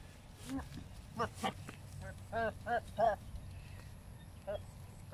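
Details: Male and female Philippine native goats behaving as during mating; several brief, tremulous bleats in quick succession, a few overlapping, then a last faint bleat after a pause, against steady low outdoor noise.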